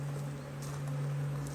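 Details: Honey bees at an Australian-designed HiveIQ hive, opened in almost mid-Autumn 2023 in Australia to add a box during fine weather; a steady low droning hum holds throughout with faint rustling above.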